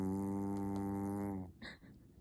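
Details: Sleeping Maltese, supposedly only feigning sleep, lets out a steady, buzzy snore lasting about a second and a half, which then stops abruptly, leaving faint small noises in a quiet room.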